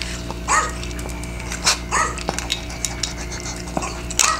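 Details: Maltese dog barking around feeding time indoors: several short sharp barks at irregular intervals, mixed with clinking of a stainless steel bowl and a steady background hum.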